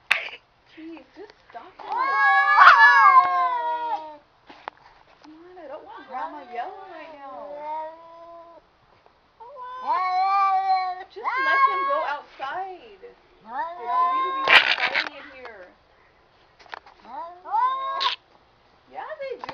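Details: Two house cats square off indoors in a fight, trading long, drawn-out wavering yowls that rise and fall in pitch, several seconds each, with short pauses between bouts and a person's voice breaking in.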